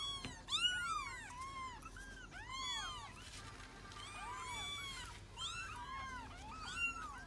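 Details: Cat looking for her kids: a tangle of overlapping high arched meows, several voices at once, steady and insistent, with a low hum beneath.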